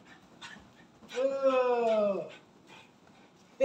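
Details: Pet dog giving one long, drawn-out whine of about a second, falling slightly at the end, with short faint whimpers before and after and a person talking nearby.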